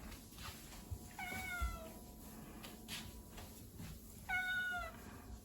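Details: Ragdoll cat indoors giving two short, clear harmonic meows about three seconds apart, each level then slightly falling, with a quiet background hum between them.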